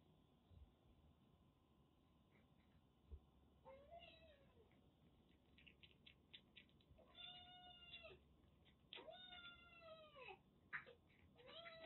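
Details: Soaked kitten rescued with a severe cat cold during record rain in western Japan, cared for in Kagoshima; a run of thin, high meows, several short and some drawn out and falling, over steady faint background hiss.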